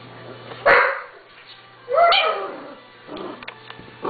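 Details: Six-week-old Doberman Pinscher puppies giving two short, harmonic yelping barks about a second apart, followed by fainter whimpers, with background music throughout.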